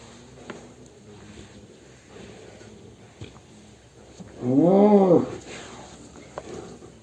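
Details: Cattle, described as raging as it leaves its pen, gives a single deep, arched moo lasting under a second, rising then falling in pitch, amid low background rumble and occasional clicks.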